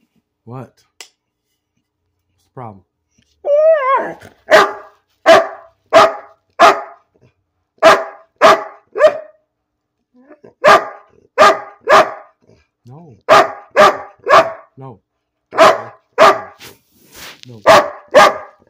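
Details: Bean the dog barking for no reason indoors: a whiny, rising vocalisation opens, then steady strings of loud barks roughly every half second, with occasional human speech mixed in.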